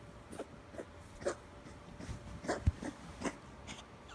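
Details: A 2-year-old rescue Chihuahua / Miniature Pinscher mix with really bad kennel cough coughs in harsh, rapid hacking bursts.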